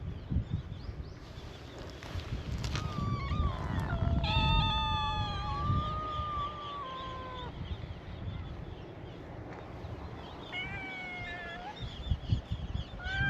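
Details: A chorus of cute meows from stray island cats at a cat gathering in Itoshima, Japan, welcoming a visitor: overlapping long, bright, harmonic-rich meows, some bending downward, repeated in bursts over low rumbling noise.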